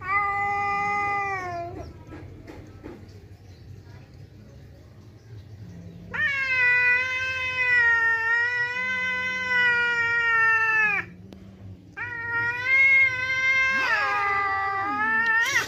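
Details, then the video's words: Kiki, a domestic village cat, yowling in anger at an outside cat coming to the house: long, loud, wavering harmonic howls, the first about two seconds, then a sustained five-second wail and further drawn-out yowls, with a person's voice faintly beneath. "Kiki marah kalau ada kucing luar datang🙀 Meraung keras banget"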